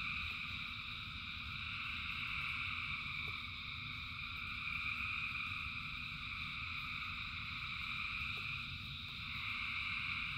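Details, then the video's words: Thousands of frogs singing in rain form a dense, unbroken chorus: layered trilling bands at several pitches hum steadily, with a low rumbling wash of rainfall beneath and a few faint clicks. "Frogs in Rain 2 Hours of Frogs, Thousands of Frogs Singing"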